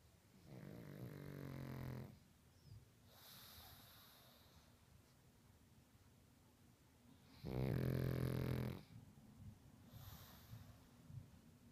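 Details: Pug snoring loudly while asleep indoors, likened to Chewbacca: two long, deep, rasping snores with strong low harmonics, each lasting over a second, separated by quieter breathing, with a softer snore between them.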